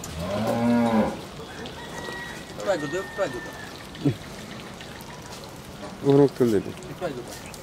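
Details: Bull offered for sale at a dairy farm in Bhangura, Pabna, Bangladesh, giving a deep, drawn-out moo lasting about a second, then short lower grunting moos near the middle and end, with faint birds and rain-like patter behind.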